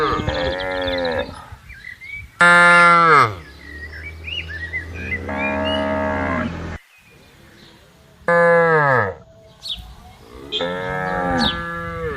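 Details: A herd of tame cattle wandering and grazing across a wide green plantation, with several loud moos in turn, some deep and some higher and strained, separated by short gaps with birds chirping in the background.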